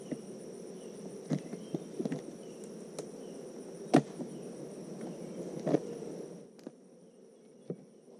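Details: Buzzing of many honeybees during a hive inspection on a farm in the Tennessee Smoky Mountain foothills: a continuous low drone with sharp knocks and taps from the hive being handled, then quieter toward the end.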